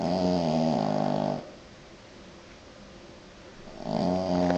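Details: Snoring French Bulldog, loud buzzy vibrating breaths, one long snore then a pause of about two and a half seconds before the next begins, in a quiet indoor room.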